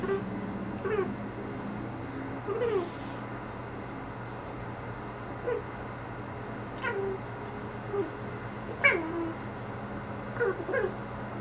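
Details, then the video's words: Pet cat named Salomon indoors, talking to birds outside a window: short chirping meows and chatters with stacked harmonics, arriving in bursts about every one to two seconds, over a steady low household hum. "Cat Talking to Birds"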